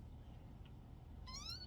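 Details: Short rising meow from a kitten, rather faint and cut off at the end, over low steady background hum.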